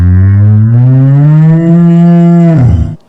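A cow gives one long, low, steady moo lasting nearly three seconds, ending in a brief rough drop; nothing else is heard.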